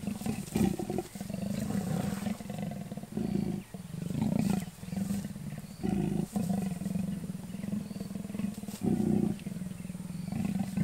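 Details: Wild leopards, a reluctant male and a female, mating in and around Kruger National Park, South Africa; continuous deep rasping growl with a steady low hum, broken by brief pauses every one to two seconds.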